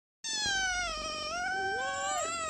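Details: Hungry pet cat named Piku meowing for food at home: one long, drawn-out meow of over two seconds, fairly steady in pitch with a slight dip near the middle and a small upturn toward the end, in a quiet room.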